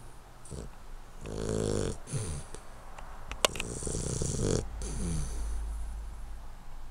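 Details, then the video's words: Henry, a 12-week-old male Hungarian Vizsla puppy, snores while sleeping: rough, rasping breaths in irregular bursts, some with a rattling, buzzy texture, plus one sharp click partway through. "Henry the Hungarian Vizsla Puppy Snoring"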